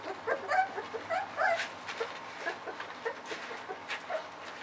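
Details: Ava's puppies, about 3.7 weeks old, at their evening round of puppy mush, just entering the discovery stage, before Ava returns to nurse: several short, high whines and yips in quick bursts, mixed with sharp clicking noises.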